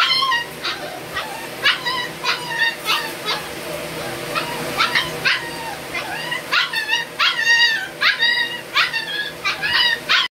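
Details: Puppies or dogs kept for sale in Banka, Patna, Bihar, India; a rapid series of high, harmonic yelps and whining barks repeated throughout, several per second at times, over constant low background hum.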